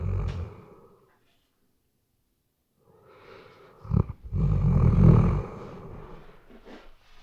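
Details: Sleeping Weimaraner dog snoring, recorded on a RODE NTG3B microphone: a rumbling snore fades out, about two seconds of quiet follow, then a sharp snort leads into a louder, rough low snore that trails off softly.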